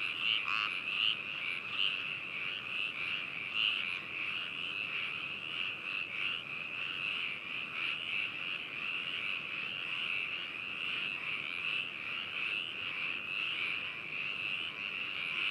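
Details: Frogs at Hakushu, Hokuto, Yamanashi, Japan, recorded binaurally on 4 May 2018: a dense, unbroken high-pitched trilling chorus, with only a few faint croaks near the start.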